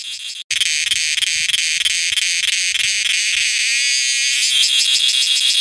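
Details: A cicada gives a loud, shrill, steady, high-pitched buzzing drone with a fast pulsing texture, calling through both night and day.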